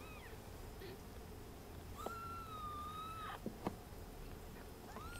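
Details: Ragdoll kitten while suckling, giving a long level thin mew near the middle and short rising squeaks at each end, with faint clicks and a steady background hum.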